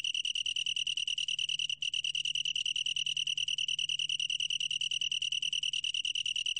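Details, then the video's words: Long-tailed tree cricket giving a rapid, high, evenly pulsed trill, broken by one very short gap early on, then continuing steadily, with a faint low hum behind. "긴꼬리, 여러번 듣기, 곤충소리"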